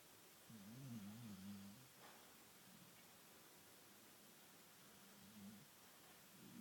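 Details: Snoring from a sleeping Bull Terrier that appears to be dreaming: one long, warbling, nasal snore in the first two seconds, then fainter, softer snoring bouts over a quiet indoor background.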